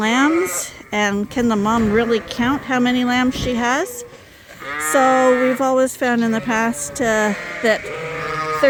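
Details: Several Suffolk lambs, escaped and mixed into a single barn group, bleat over and over; quavering, vibrato-laden cries of varying length, about eighteen a minute, overlap irregularly, with a quieter stretch around four seconds.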